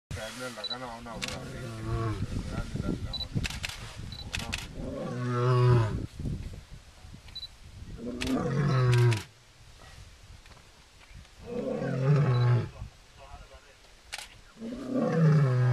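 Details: Lioness at Chitabe, accompanied by a cub, calling for her pride: deep, moaning grunts repeated every few seconds, each dropping low, with people talking quietly and camera clicks in the background.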